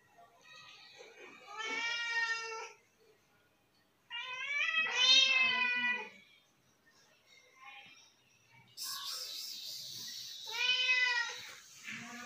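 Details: Two domestic cats arriving for lunch and meowing for food: long, drawn-out, strongly harmonic meows, three or four in twelve seconds, some wavering and rising, with a higher, brighter cry near the end.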